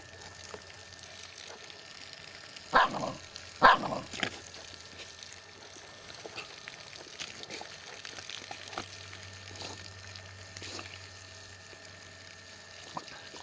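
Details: Jack Russell Terriers Murphy and Peppi in a garden, Peppi battling the garden hose: two or three sharp, loud barks close together early on, followed by quiet rustling and a faint steady hum.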